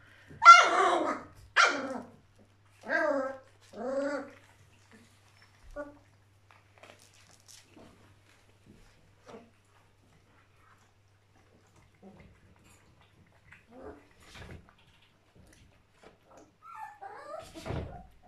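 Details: A playful band of young Border Collie puppies: a quick run of four or five high, yappy barks in the first four seconds, then scattered soft clicks and faint yips, with a couple of small yelps near the end.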